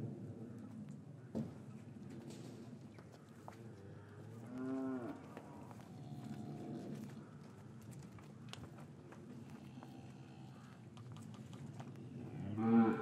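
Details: Cattle in an English cattle yard on a winter's afternoon, calves separated from their mothers; soft, low lowing in scattered bursts near five and seven seconds, with farmyard rustles and knocks and a louder call rising at the very end.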